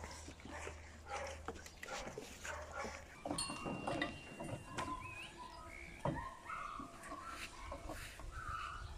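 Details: Puppies of Rutabaga and Marius at eight weeks old whining: drawn-out, high, wavering whines, some stepped and bending upward in pitch, over soft rustling and a low steady hum.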